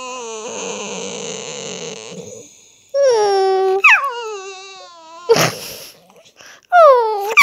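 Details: Staffordshire Bull Terrier making funny noises: a long droning whine, then high, bending, harmonic whimpers and yelps that rise and fall in short bursts, with a sharp noisy burst near the end.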